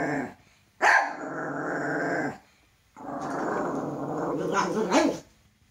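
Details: A fearful male toy poodle, startled by his own shadow, lets out a sharp bark that trails into a long raspy growl, then after a pause a second sustained growl ending in a few yappy bursts.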